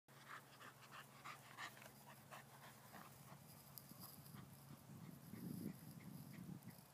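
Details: A blue English Staffordshire Bull Terrier pants and snuffles in quick, breathy bursts over a steady low hum. Staffordshire Bull Terrier.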